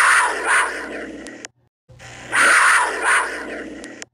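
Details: Cougar giving harsh, breathy, noisy growl-like bursts, each about one and a half seconds long with two loud swells, heard twice with a brief silent gap between, over a faint low hum.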